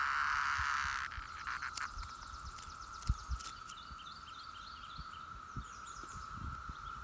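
Periodical cicadas drone in a steady, unbroken whirring buzz that holds one pitch throughout.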